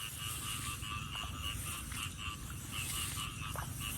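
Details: Frogs heard while someone walks searching for them: dense overlapping croaks repeated several times a second, with a mid-pitched and a higher, brighter band, over a steady low rumble and constant high hiss.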